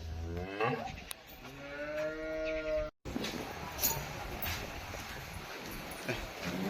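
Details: Holstein Friesian dairy cow on a farm, described as freshly calved and giving eight to nine litres of milk, lets out a low, steady, harmonic-rich moo lasting about a second, after a brief rising grunt, with men talking and farm noise around.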